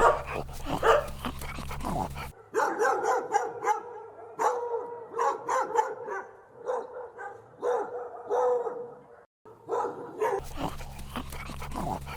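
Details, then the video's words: Puppies running and playing on a lush meadow give a long burst of rapid, excited barks and yips tumbling over each other, with brief pauses and a low background hum. "Dog barking sounds"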